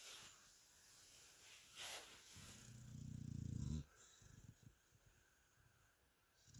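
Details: Sleeping dog Mia gives one low, buzzing snore lasting over a second, which swells and then cuts off abruptly, after a brief rustle; faint room noise follows.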